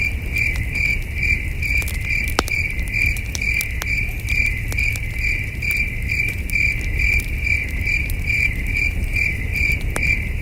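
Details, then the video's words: High, evenly pulsed cricket chirps repeat about twice a second for the whole stretch on a starry night at a wilderness campsite, with occasional loud cracks from a nearby campfire and a low breezy rumble beneath. "Soothing Cricket Sounds"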